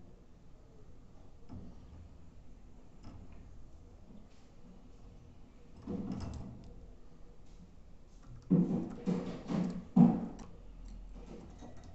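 Only low room noise with a few dull knocks and rustling bumps near the end; no bird song or calls can be heard.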